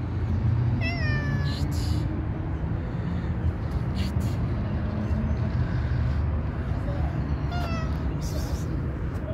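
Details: Stray tuxedo mother cat, worried about her kitten as a tabby cat lurks. Two brief, falling meows come several seconds apart against constant low traffic rumble.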